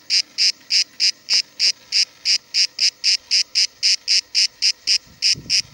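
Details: Cicada near Cahors, France, recorded July 2017, giving a rapid series of harsh buzzing bursts, roughly three to four per second, regular and sustained, with slight low rustling near the end.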